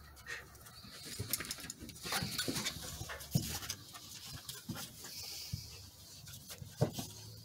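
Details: Border Collie puppies play fighting, pouncing and stalking each other, give rough low growls and panting breaths in short irregular bursts, with scuffling and thumps of the tussle between them.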